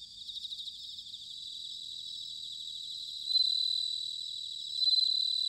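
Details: Japanese bell crickets in autumn at Sanuki, Chiba: a soft pulsing high trill, then two louder bright ringing bursts near the middle and end, each lasting over a second, above a quiet backdrop.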